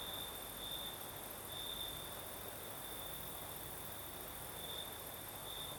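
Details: Crickets chirring through a breezy night in the south of Crimea. A continuous high trill rises in brief brighter pulses spaced one to two seconds apart, accompanied by a faint shimmering hiss and soft low wind.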